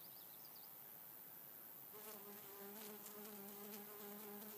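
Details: A European honey bee stuck on a milkweed flower buzzes in low, steady bursts with a humming, slightly wavering tone as it struggles to get free.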